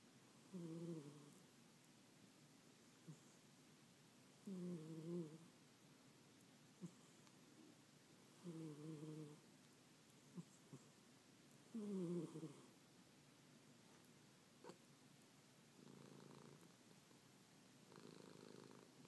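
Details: Domestic cat snoring while asleep indoors: rough, low breathy snores with stacked harmonic bands, coming in regular bursts about every three and a half seconds. Four strong snores are followed by softer, fainter ones in a quiet room.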